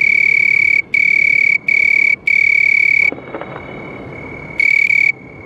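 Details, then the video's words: House cricket producing three clear bursts of high, steady trilling, then a quieter stretch with a soft rustle and faint continued trill before one more loud burst. "House Crickets Sound"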